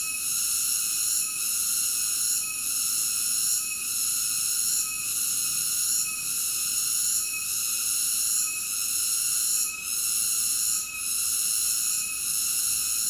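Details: Steady, shrill cicada buzz holding at high pitch, with brief softer dips roughly every second or so, and nothing else clearly audible.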